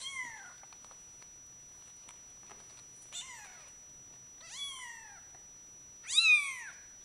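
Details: Male Bengal cat named Sherakan meowing four times, each an arched downward-sliding meow, spaced about one to one and a half seconds apart and growing louder toward the last, in a quiet indoor setting.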